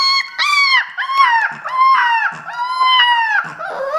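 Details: Blue-eyed grey-and-white male Siberian Husky puppy, born 22 January 2019, energetic and never sitting still; a series of arched, yodelling whine-howls bending up and down, with a woman talking over parts of it.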